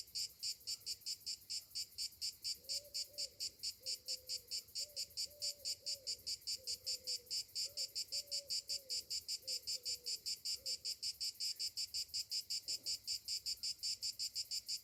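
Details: Cicadas singing on a summer morning, a shrill pulsing buzz repeated about two to three times a second, with a faint low hum wavering beneath in the middle.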